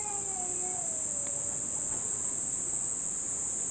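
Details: Cicadas, the first heard this summer, calling at a family home in Nishinomiya, Japan, as the rainy season nears its end: an unbroken, very high-pitched droning hiss throughout, with a brief fading infant cry at the start.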